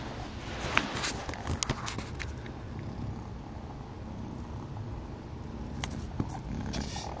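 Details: A pet cat named Malcom keeps up a powerful purr at rest, described as equal to most cats' top setting; the low, throbbing rumble runs continuously, with scattered crisp taps and rustles nearby.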